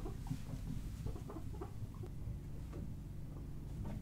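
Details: Pet guinea pig Buddy, three years old, indoors during floortime with the other guinea pigs: short, low clucking notes repeated at uneven intervals, several per second at times, over a steady low rumble of construction noise from next door.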